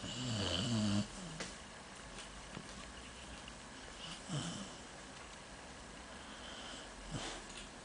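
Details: Shiloh, a pet dog, snores while dreaming in its sleep. A low, rough snore with brief whimpering tones fills the first second, followed by quieter breathy snuffles and a couple of soft snorts over steady indoor hiss.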